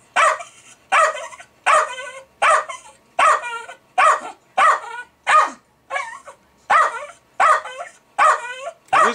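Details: Jack Russell Terrier, a pet dog, going crazy over fermenting beer, barking excitedly: sharp harmonic barks repeated about every 0.7 seconds, some with short whining tails, fairly steady rhythm throughout.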